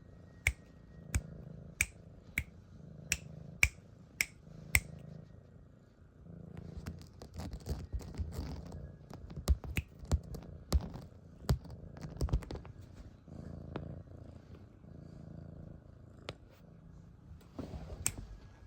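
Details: Siamese kitten purring with a low, even rumble in rhythmic breaths, accompanied by a run of regular sharp clicks at the start and scattered snaps and rustling afterward.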